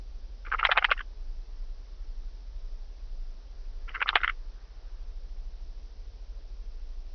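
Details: Blue-winged grasshopper recorded at Mörnsheim, Germany, on 14 July 2023: two brief raspy, crackling bursts about three and a half seconds apart, each under half a second, over a steady low background hum.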